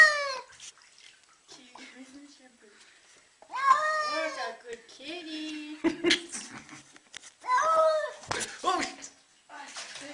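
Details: Cat resisting a bath, giving several bent, drawn-out yowls and shorter complaining meows spread across the stretch, overlapped by people talking and sharp splashing or clattering noises indoors.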